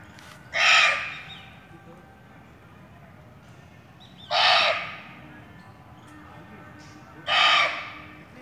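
A barking deer gives three loud, harsh, dog-like barks, spaced about three seconds apart.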